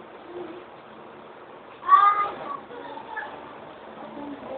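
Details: A three-month-old female yellow Siamese kitten, playing with her toy, lets out one brief, clear meow, pitched fairly high and rising a little, over a steady low murmur, possibly distant voices.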